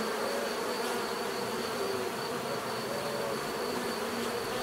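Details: Bees buzzing in a steady, dense drone with a continuous hum and a faint high whine, no breaks or other sounds standing out.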